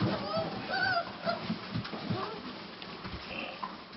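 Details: A litter of Cane Corso puppies, dam Eclipse Corso Di Munteanu and sire Wolf Corso Imperium, whimper in short, thin, tonal squeaks at the start, fading into softer shuffling and occasional faint whines toward the end.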